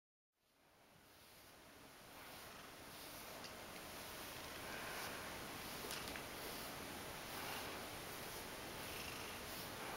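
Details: Mojio, a two-year-old Ragdoll cat, purring indoors: a steady, soft, breathy rumble that swells in after a brief silence and rises with faint rhythmic breath pulses, over a constant thin high hiss.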